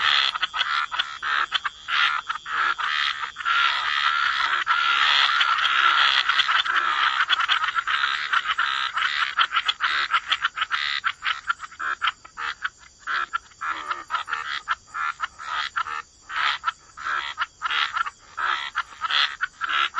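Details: Waterside frog chorus: a dense wall of overlapping croaks for the first half, then thinning into distinct raspy pulses, each a short burst, with a faint steady high tone behind.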